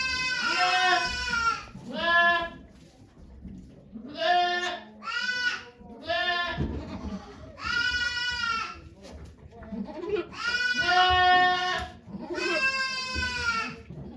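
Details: Okayu the goat bleats repeatedly while giving birth to two kids at Yoshigake farm in Japan on 3 May 2023. The cries are strained and quavering, come in pairs and longer drawn-out calls, and soft human chatter sits underneath.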